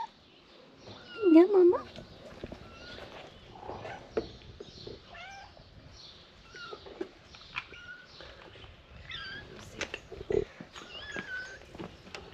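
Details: Stray kitten during treatment by rescuers, giving one loud, wavering meow near the start, then a string of shorter, higher mews spread across the clip, with people talking softly nearby.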